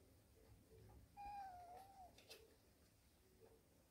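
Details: Warehouse cat family, a mother and her kittens at rest, gives one soft, smooth meow that holds level and then dips slightly, lasting about a second, in a quiet indoor room with faint background hum.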